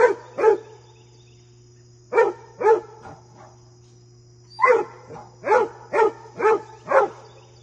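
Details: Fred, a basset hound, barks while a deer friend visits: clusters of two to four rich, mid-pitched barks separated by short pauses, over a constant low electrical hum.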